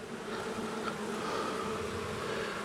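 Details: Honey bees from a long-established colony inside a house wall, angry after dark on the first day of a March 6th cutout: a dense, steady droning buzz with layered low and mid hum bands that holds unbroken throughout.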